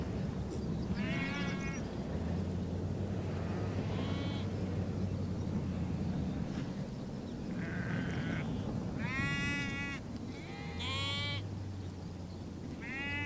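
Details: Herd of sheep and goats on the steppe at Bayandelger, Tuv province, Mongolia; scattered short, quavering bleats from several animals, some distant and some near, over a constant low hum and wind-like noise.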